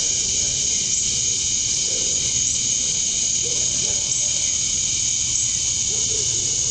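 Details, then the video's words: Male cicadas chirping to attract females during summer dusk in Georgia, USA. Continuous shrill, even buzz with stacked high tones, unbroken for the whole stretch, over soft low background noise and a few faint mid-pitched sounds. "Cicadas at Dusk, Summer Night"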